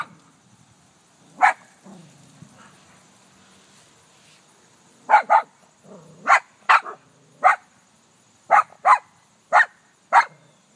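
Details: Ellie, a dog, barks at her reflection in a car, giving a lone bark followed by a soft whine, then a run of loud sharp barks, mostly in pairs, about one per second.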